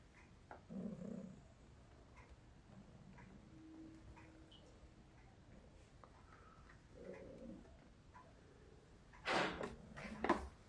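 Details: Gaga, a hungry Russian Blue cat, meowing indoors: two short, mid-pitched meows about six seconds apart, with a faint tone in between and sharp clattering and rustling noises near the end.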